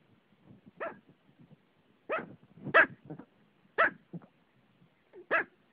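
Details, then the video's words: Pomeranian standing on its owner and barking: four sharp, high yappy barks spaced about a second apart, some doubled, with soft rustling and movement noises between them. "My Pomeranian Gino Barking"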